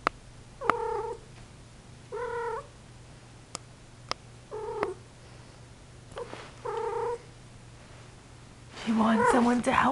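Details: Persian cat, a female in heat, indoors, giving a series of short plaintive mews roughly every one and a half seconds, with scattered clicks between and a louder, harsher wavering yowl near the end.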